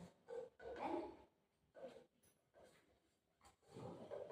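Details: Golden retriever and shih tzu, pet dogs fighting over food indoors, the rice with egg one of them dislikes; rough, throaty growl-like bursts come in several short runs over about four seconds, with a woman's voice close by.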